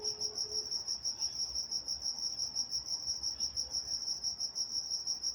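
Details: Crickets chirping at night in Walnut, California: an even, high-pitched pulsing trill with a faint higher overtone band, steady throughout over a quiet background with a brief faint tone at the start.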